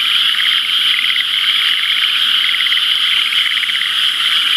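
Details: Frog chorus in rice paddies where rainwater from the previous day has pooled, before irrigation water reaches the channels; dense, continuous overlapping pulsed trills form a steady, high-pitched wall of sound throughout.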